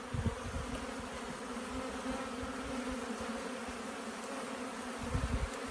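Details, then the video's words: Swarm of honey bees being collected: a steady, dense, low droning hum holding evenly throughout, with a few soft thumps and rustles underneath. "Bee swarm"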